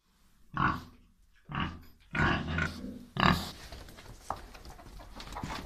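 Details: Piétrain boar out on a walk with two young sows: a few short, rough grunts at irregular intervals, each a broad, husky burst, over low outdoor background noise.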